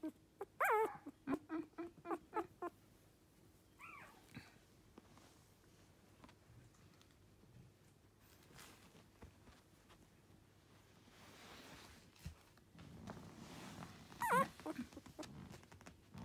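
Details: Lively male Toy Poodle puppy indoors: a quick run of high yips and whimpers at the start, then quieter rustling, and one more sharp whimper near the end, with a person talking and calling the puppy over.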